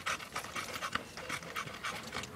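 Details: Close, rapid panting from an American Bully, with short breathy huffs repeated several times a second and no other clear sounds.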